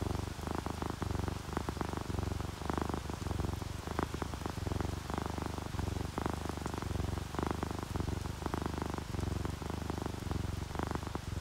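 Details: Contented purring of an orange tabby and a calico cat drifting off to sleep, a rhythmic low rumble cycling about once a second, with light rain drops ticking irregularly in the background.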